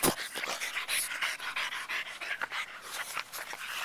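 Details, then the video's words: Pied French Bulldog puppies, three of them, playing outdoors in a yard; quick rhythmic panting breaths, breathy and noisy, repeated several times a second, with a brief higher whimper near the end and light scuffling. "French Bulldogs-My Pied Puppies in the Yard"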